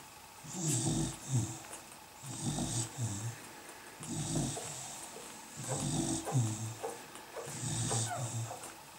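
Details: Sleeping-sounding Beagle puppies of the dam Mimmi, dated 150701, giving rough, low snoring breaths about every second and a half, loosely rhythmic, with soft hiss above each grunt.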